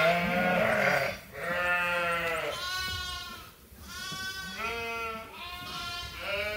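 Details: Hungry sheep and lambs at Ewetopia Farms during feeding chores in lambing season, a near-continuous chorus of overlapping wavering bleats, deep and high voices mixed, with brief pauses between calls.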